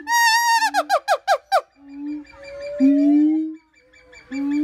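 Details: Siamang call opening with a string of rapid, harsh, descending shrieks, about six in quick succession. Long, low, droning hoots follow, one gliding slightly upward, with a quiet pause before the last hoot begins.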